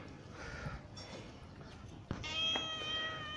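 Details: Motherless stray kitten on the street being fed, coaxed to eat together and not be afraid: a short meow, then a longer, higher, drawn-out meow near the end, with a person's voice speaking softly.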